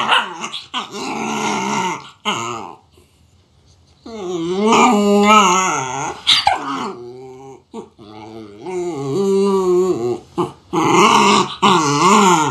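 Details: Puppy vocalizing in long, wavering, howl-like moans with rich harmonics, bending up and down in pitch, broken by short pauses and a few sharper yelps; a brief quiet gap near the middle.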